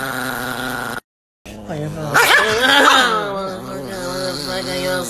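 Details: Angry Chihuahua, a pet dog, growling in a short home clip: a harsh, rumbling growl with whiny, rising and falling tones that peak midway, then a steady lower snarl. A voice and a steady tonal hum sit behind it.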